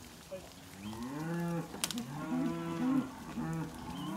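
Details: Angus and Black Baldy weaner cattle at a sale in Casino, 12 March 2021, several overlapping calls: drawn-out harmonic moos rising and falling, one caller following another, with a sharp clatter near the middle and faint yard noise.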